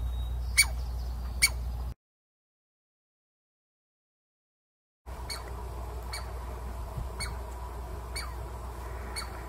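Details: Douglas squirrel (chickaree) barking in a Pacific Northwest forest as a warning or territorial defence. Two sharp barks are followed by a silent break, then a run of fainter, rapid barks over low background rumble.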